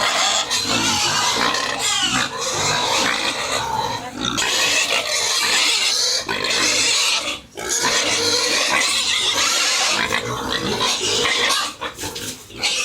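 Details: Pigs on a farmer's home pig farm around feeding time: loud, shrill, overlapping squeals and screams run almost without pause for the whole stretch, with a short dip near the middle and a few harsh bursts toward the end.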